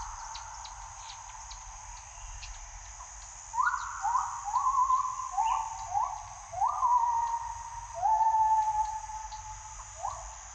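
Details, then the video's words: Morning gibbon calls: after about three seconds of insect hum, a series of short rising whoops begins and is repeated in quick succession, ending with a longer sustained note. "ASMR เสียงยามเช้าชะนี"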